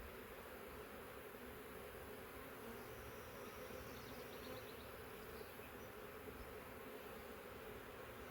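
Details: Honey bees crowd drawn comb after a large swarm moved into a swarm trap set near a three-year-old wild hive in the woods. An even, unbroken buzzing hum continues throughout, with faint high chirps in the background.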